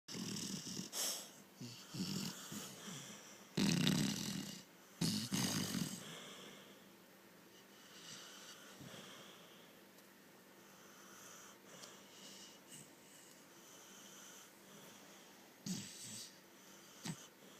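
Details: Puppy called Lil Boo asleep, with wheezy, rasping snores loudest in the first six seconds, including two strong bursts, then fading to soft, steady breathing noise with occasional louder snorts.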